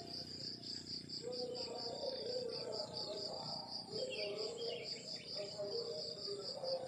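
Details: Morning crickets in the countryside give an even high-pitched pulsed chirping, about three pulses per second, steady throughout; faint twittering calls rise briefly in the background and a soft low murmur sits underneath.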